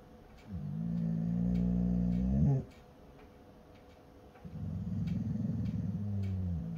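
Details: A 3-year-old male Carolina dog (American Dingo) gives two deep, rumbling growls, the first ending in a brief rising whine.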